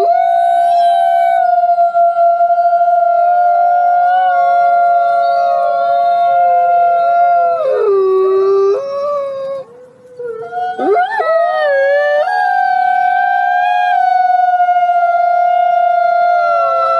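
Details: Greenland wolf, a gray wolf subspecies native to Greenland, giving long steady howls held on one pitch, a drop and brief break near the middle, then a rising wavering cry before settling into another sustained tone.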